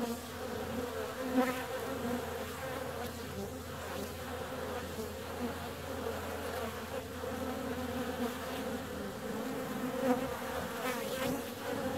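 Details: Honey bees out on a warm February day, their wings producing a constant buzzing drone. Close fly-bys peak briefly near the start and around ten seconds, with a low steady hum beneath.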